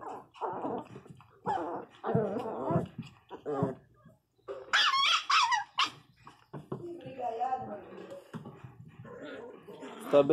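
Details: Angry Pinscher puppy quarrelling with another dog indoors over entering a little hole: strained whines and growly yelps, a sharp high outburst near the middle, then softer whimpering, with a person speaking throughout.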